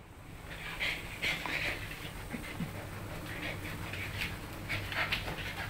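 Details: Young Siberian Husky Riley, 10 weeks old, takes on one-year-old German Shorthaired Pointer Will in a dominance play-fight indoors. Repeated breathy huffs about every half second mix with faint scuffling and a person's encouraging words.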